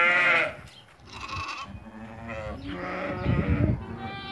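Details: Lambed ewes from a lot of 80 for sale: a sharp bleat opens, then a shorter cry, then overlapping wavering bleats from more than one animal build up over thudding, shuffling background noise.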